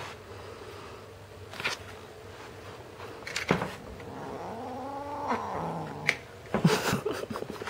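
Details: Teddy, a red point Siamese kitten, grumbles after losing his toy: a drawn-out low moaning growl that rises and falls mid-clip, between scattered knocks and rustles in a small room.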